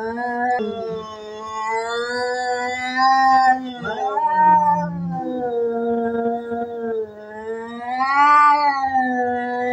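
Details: Domestic cats in a fight, growling threats loudly. Unbroken, wavering low yowls with shifting overlapping tones, some dips and sharp bends, swelling louder toward the end.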